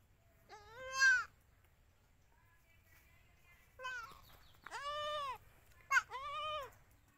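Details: Newborn Indian goat kid, 2021: a single wavering, harmonic-rich bleat, then after a quiet gap a cluster of three or four quavering bleats close together, with a short sharp one between them; background otherwise quiet.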